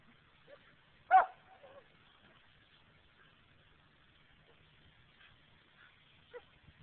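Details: A pet German Shepherd dog gives one loud, sharp bark early on, followed by a few soft, faint sounds in an otherwise quiet room, recorded on an Android phone.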